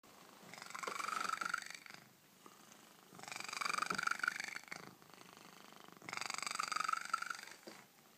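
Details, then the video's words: Domestic cat purring very loudly, close up indoors; three long rumbling bursts of about a second and a half each, separated by short quieter breaths, steady and throaty. "Cat purrs very loud"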